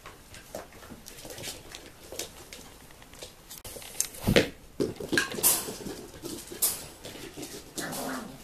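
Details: Nine-week-old Tibetan Terrier puppies of the F litter from the Tinsha Bells kennel, born 2 November 2015, indoors in a small room, producing thin whimpers and brief yelps over rustling, with one louder squeal midway.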